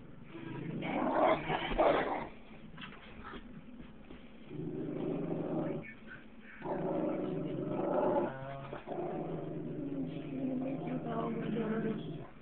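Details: Two pet dogs, a Basset Hound and a Jack Russell Terrier puppy, howling at themselves, recorded on a cellphone: long wavering howls in overlapping bursts, interrupted by short pauses, with rough growly tones.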